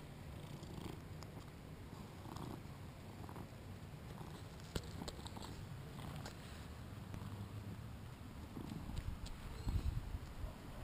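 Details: Male British Shorthair, two years old, purring while playing, captured with a GoPro: steady low rumble swelling in rhythmic breaths, with faint clicks and a few sharp knocks toward the end.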